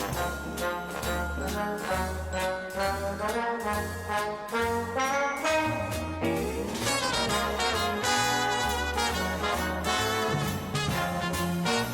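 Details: Brass and orchestral music plays throughout with no animal sounds heard.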